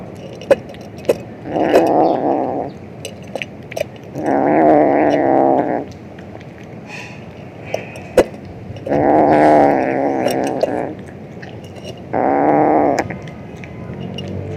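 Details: A male cat being very noisy while he eats, giving four throaty, murmuring growls of one to two seconds each, separated by pauses with clicks and small knocks.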